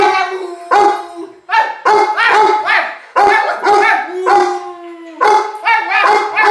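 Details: Pet dog during voice lessons giving a string of loud, tonal howl-like yowls and woo-woo vocalizations, each lasting about half a second to a second, with rich harmonics and rising-falling pitch, repeated with brief pauses.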